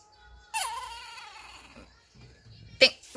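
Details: Female Chihuahua, 1.7 kg, indoors, whining to ask for what she wants and not to have her toy taken. One drawn-out high nasal whine that dips then holds steady for over a second, followed by a short pause and sharp taps.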